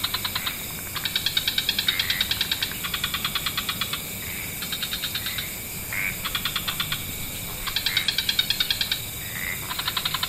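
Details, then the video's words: Frogs calling in a wetland chorus at dusk, rapid pulsed trills in bursts of about a second, repeated in overlapping runs, with a steady high hiss throughout. "Frog Orchestra"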